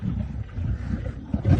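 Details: Lions of the Nkuhuma Pride in Djuma Game Reserve, Sabi Sand, South Africa, on an afternoon drive on 13 March 2018, growl low and rumbling with full bellies as they squabble over the last remains of a buffalo carcass.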